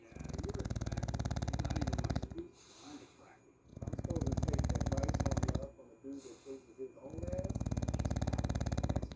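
An English bulldog snores loudly, each breath a deep, rattling rumble lasting about two seconds.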